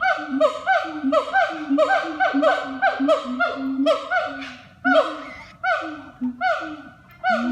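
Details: Siamangs at a zoo, Taman Satwa Cikembulan in Garut, call in a loud chorus of overlapping, hoarse, bark-like whoops that rise and fall.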